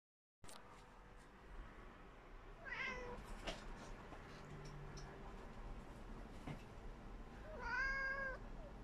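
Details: Tabby cat indoors, wanting to catch a little fly, gives two short meows with harmonic, arching tones, one near three seconds and a louder one near eight seconds, over a low steady background hum.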